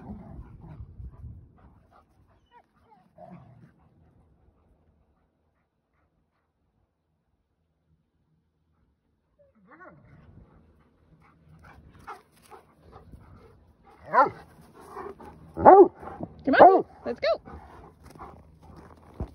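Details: Several Old English Sheepdogs barking while playing hard together on a flower farm in the middle of North America. Mostly quiet at first, then a cluster of loud, sharp, harmonic barks with softer whimpers between them. Faint voices are heard.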